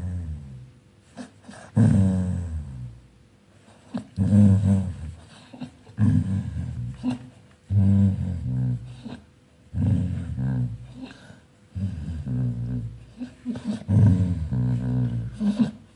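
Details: A dog growling in its sleep while dreaming: low rumbling growls in bursts of about one to two seconds, separated by short pauses, with muffled whimpering tones between them.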